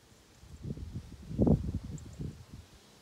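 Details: Purring of Ovenmitt, a male house cat, as he lounges in pleasure on a garden table on a County Kilkenny farm in Ireland, paws kneading; a deep, throbbing rumble peaks sharply midway, then softens into quieter pulses.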